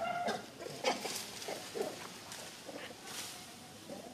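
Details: Monkey calls from natural monkeys on a mountain, a big monkey frightening a baby monkey: short harsh squealing bursts with tonal harmonics, several in quick succession, loudest at the start, then softer chattering notes.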